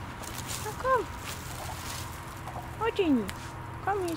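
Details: Off-leash Siamese cats Otani and Yozora walk through a frosty winter forest at sunset. Three short meows, each sliding downward, come about a second apart over a low outdoor rumble and a person's voice.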